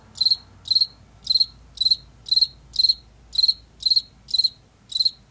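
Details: Late summer and fall field cricket from Washington, fields and forest edges; sharp high chirps, each a tight cluster of three or four pulses, repeated roughly every half second with even loudness, faint low hum beneath.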